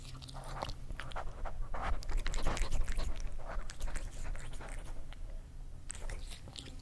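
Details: Kerry the cat eating, close crunching and chewing with quick irregular bites roughly three per second, sharp broadband crackles over a low steady background hum.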